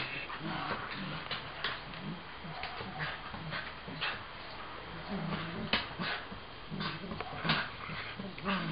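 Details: Two dogs, a three-month-old mixed-breed puppy and a Cocker Spaniel, playing together during training on bite control, indoors; soft whimpers and short yips come in scattered bursts over muffled rustling and background noise.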